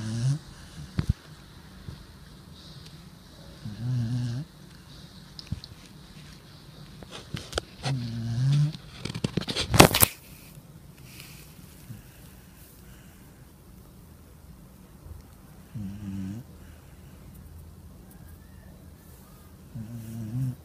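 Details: Pet dog asleep indoors, snoring: deep, low rumbling snores recurring roughly every four seconds, with a sharp loud clatter midway and faint room noise between breaths.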